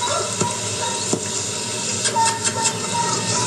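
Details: A dense, steady noise like an engine or passing vehicle fills the recording, with faint tonal whines and no animal sounds.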